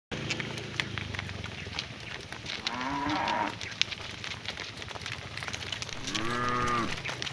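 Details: Cows lowing while being herded home to their barn in the afternoon, calling to their herd mates; two medium-length, harmonic moos about three seconds apart over steady crackling, rustling outdoor background noise.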